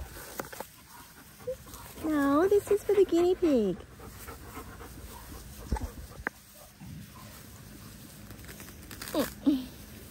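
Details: Linc, a baby Australian cattle dog puppy, playing with bigger puppies in a paddock: a run of high, wavering, harmonic whines around the middle seconds, one short falling whine near the end, scattered scuffling and faint noise between.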